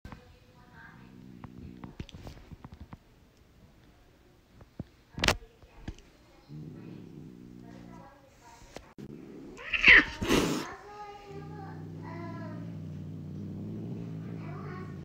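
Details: A female Siamese cat, a mother, growls low and long at a feral rescue tortie kitten about 2-3 months old, a sharp hiss or yowl breaking through midway; owner thinks she was jealous.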